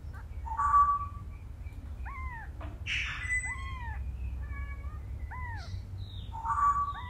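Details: Cat family scene, a mother cat moving her kittens one by one in her mouth; a run of clear, arching high-pitched meows, several in a row, with a thin steady whistling tone at the start and end and a low background rumble.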